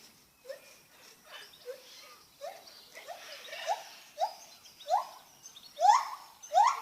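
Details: Lar gibbon giving a series of rising, swooping hoots, about one every half second, growing steadily louder and higher toward the end, over a faint background hiss.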